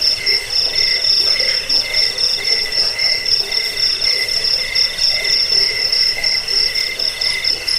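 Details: Crickets chirp in a recording for repelling rats, inducing sleep and teaching songbirds: quick high pulses stream continuously above a lower pulsing trill, with a faint hiss underneath.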